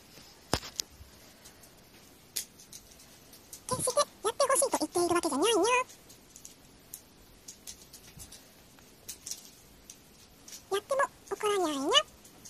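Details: Brown tabby Ojako utters talkative meows in an indoor room: a two-second string of wavering calls, a long quiet gap with faint clicks, then a final short cluster of falling meows.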